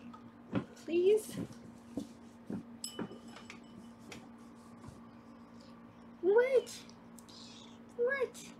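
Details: Kittens in foster care in Los Angeles, filmed by a round-the-clock kitten cam while being weighed: three short, high, upward-sweeping mews spaced several seconds apart, with quiet talking and handling noises between them.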